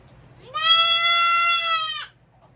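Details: Goat kid bleats during hoof trimming, one strong, sustained cry lasting about one and a half seconds, sliding up at the start then holding an even, bright, nasal pitch before dropping away, over a faint steady hum.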